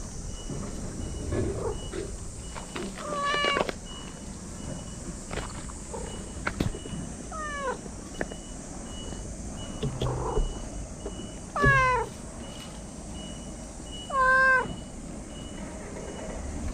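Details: Talkative stray cat meowing repeatedly, several rising-then-falling harmonic meows spaced a few seconds apart, two louder ones near the end, over steady background hiss and low rumble.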